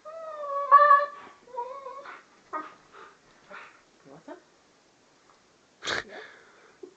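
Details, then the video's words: Siberian Husky with a brain freeze from ice cream, indoors: a brief wavering whine-howl at the start, then broken short yelps and whimpers, with a man speaking and a sharp knock near the end. "Gunner gets a brainfreeze"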